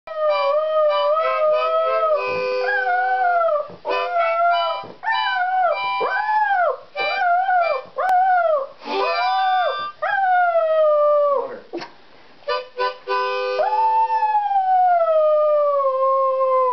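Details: A small Lhasa Poo dog sings along to a harmonica, howling in wavering, arched notes that rise and fall, the steady harmonica tones running beneath, ending in one long sliding howl.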